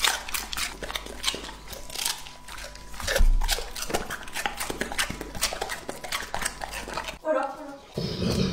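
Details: Lucky, a two-and-a-half-year-old English-type Labrador Retriever, eats a meal indoors that includes lamb heart, chicken thigh, sardines, quail eggs and cucumber. Dense crunching and chewing clicks repeat quickly, and a brief voice follows near the end.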